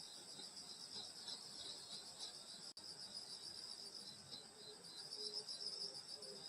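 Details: Night insects of the Korean countryside in summer, recorded at a grandmother's house, fill the air with a constant high, pulsing trill. The sound cuts out for an instant midway, then resumes, and soft lower chirps appear toward the end.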